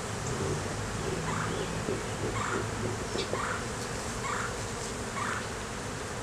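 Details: Droning of honey bees as their hive is inspected in a beeyard, a laying queen and honey present; a dense low hum fills the background while soft repeated chirpy notes recur about once a second alongside light handling noises.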